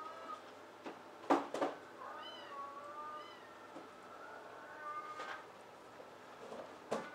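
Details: Two large adult rescue cats, close friends at a shelter cat cafe in Tokyo, Japan; soft short meows with curving pitch, several in a few seconds, amid room noise and occasional knocks.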